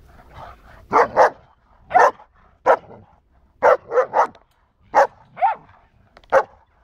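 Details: A Border Collie and a neighbouring dog from behind the fence barking at each other: short sharp barks, often in quick pairs, spaced about a second apart, with quieter grunting in between.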